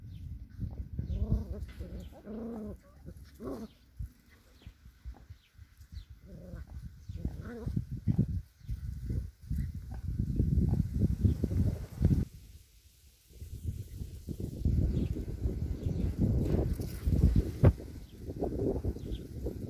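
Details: Six-week-old male border collie puppies at a kennel of working border collies in Kyiv, Ukraine; a few short whiny yelps with stacked tones in the first seconds, then mostly rustling, shuffling handling noise and thumps.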